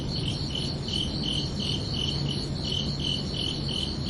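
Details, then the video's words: Night chorus of crickets on a summer evening, high pulsed chirps repeating evenly about two or three times a second, with a faint low hum underneath. "Calming Cricket Sounds for Relaxation"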